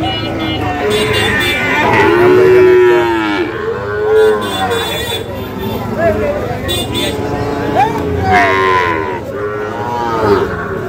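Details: Sahiwal cattle, young bulls and calves for sale at the Ambari weekly market in Parbatipur, Dinajpur, Bangladesh, 11 July 2025; several drawn-out, low, mooing calls, some rising then falling, over a steady hum of crowd chatter and market noise.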